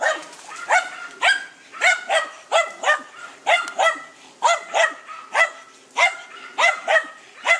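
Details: German Hunting Terrier Dunja confronting a wild boar, barking continuously and rapidly, roughly twelve sharp, ringing barks in under eight seconds at an uneven pace.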